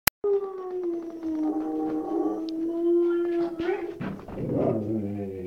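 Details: White shepherd dog giving a long, steady mid-pitched howl that holds one tone for over three seconds, then breaks into rougher, wavering whines near the end; indoor setting with little other noise.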